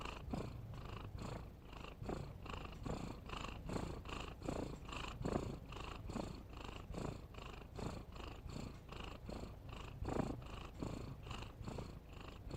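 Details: Continuous cat snore of regular rough breaths, close together at about seventy-five per minute, low rumbling with soft breathy overtones, one louder breath near the end, nothing else audible.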